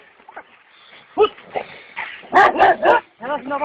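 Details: Kangal dogs set on a wild boar, with men urging them to hold it; a burst of loud, harmonic barks in quick succession toward the end, mixed with shouted Turkish speech.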